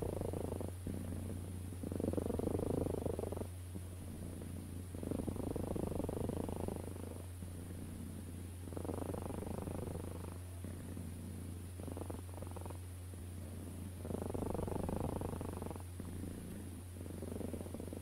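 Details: Close, steady purring from a cat, pulsing in breath-by-breath waves about every two to three seconds. Louder rattling phases alternate with brief quieter gaps over a faint continuous hum.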